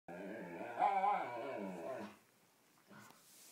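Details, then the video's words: Dog giving a drawn-out, wavering, harmonic-rich vocalization while play-fighting with another dog indoors, sliding up and down in pitch for about two seconds, then a short quieter sound. "ridiculous whale song"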